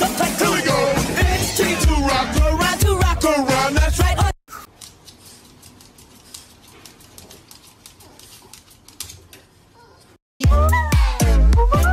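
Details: Loud pop music with sung vocals for about four seconds, then a quiet stretch of faint low noise, then loud music again at the end, with no animal sound.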